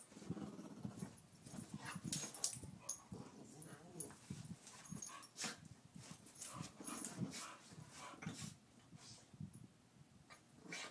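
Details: Two dogs at play, Daisy the two-year-old Pit Bull and Louie the eight-year-old Chihuahua: low growling rumble runs under repeated short scuffs and snaps, loudest in the first three seconds, continuing in bursts.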